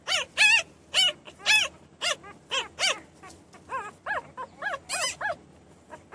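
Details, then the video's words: Crying newborn puppies give a steady stream of piercing, bent squeals about twice a second, loud at first and softening into thinner whines. "Puppies Crying and Whining Sound Effects | New born Puppies"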